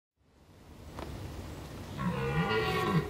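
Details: A very strong red deer stag in rutting season on the Veluwe gives a deep, throaty roar after a low rumbling start.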